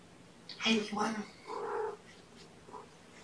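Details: Indoor kitten from mother Gamora's five-kitten litter, recorded at breakfast on May 7, 2018; two quick drawn-out mews followed by a softer third and a faint fourth, in a quiet small room.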